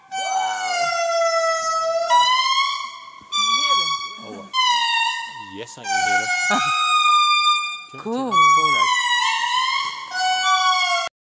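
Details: Indris in the rainforest of Analamazaotra–Mantadia National Park near Andasibe, Madagascar, singing loud, wailing, siren-like notes that slide and overlap, with several voices calling together.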